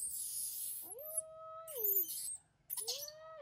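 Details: Newborn baby monkey answering its mother: two drawn-out tonal coos with a clear overtone, each sliding up, holding a steady pitch, then dropping away; the second call is shorter, over a steady background hiss.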